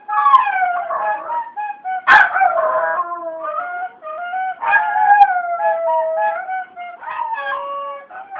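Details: Pet dog named Barth singing along to a flute playing the tune 'Cai-cai balão'. Wavering, sliding howls with rich harmonics, rising and falling in pitch. A short sharp burst near two seconds. Flute notes blend throughout.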